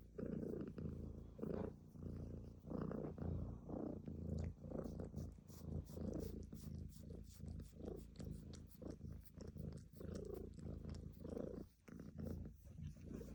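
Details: Cat's continuous low purr, a rough vibrating drone pulsing in rhythm with its breathing, inhale and exhale phases alternating steadily throughout, close and quiet.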